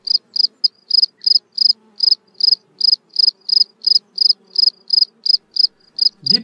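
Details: Male field cricket stridulating at the cleared entrance of his burrow in a garden on a hot spring day, singing steady shrill chirps about three per second to attract females; call carries about 50 m.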